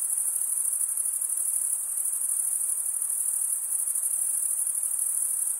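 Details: Short stretch of cricket stridulation: a bright, high, metallic trill sustained at steady volume throughout, with a slight flutter in the tone and a faint hiss underneath.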